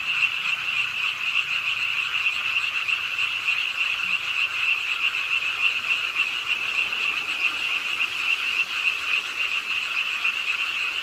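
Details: Frogs at a park pond in Suwon, calling as rain falls late at night: an unbroken, busy chorus of quick, shrill, rattling croaks holding a steady level, mixed with continuous rain hiss.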